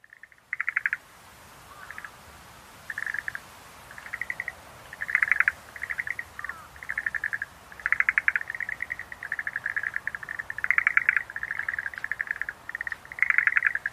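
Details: Schlegel's green tree frog calling in short pulsed, rattling bursts, each a quick run of clicky notes, repeated roughly every second with brief gaps, several bursts overlapping, over a faint steady background hiss.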